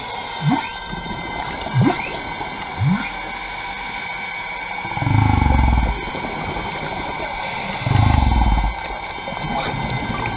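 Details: Humpback whale swimming past divers at the Carthaginian Shipwreck, Maui, Hawaii, heard underwater: three quick rising chirps about a second apart, then two longer deep rumbling groans, with constant underwater hiss behind.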